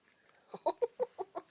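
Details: Newborn puppies born on January 13, kept at home and wriggling about: a quick run of six short, squeaky yelps spaced about a sixth of a second apart, sharp and clipped, in a quiet indoor room.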